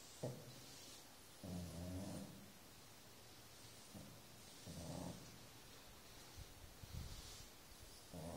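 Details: A five-year-old female Shar Pei asleep at home snores softly: low rasping breaths roughly every one to three seconds, quiet and steady, with faint room hiss.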